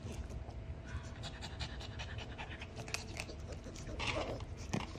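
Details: Female Maltese dog in hospital the day before discharge, recovering from surgery for a ruptured right front cruciate ligament, eating; soft, breathy, rapid panting puffs run throughout, swelling louder around the fourth second, with a person speaking nearby indoors.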